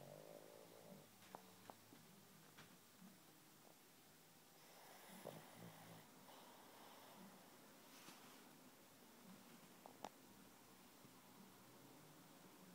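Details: Jerry, a sleeping pug, snores and twitches while dreaming indoors; rough, rumbling breaths repeat irregularly with a few sharp snorts and clicks, with a louder breathy stretch in the middle.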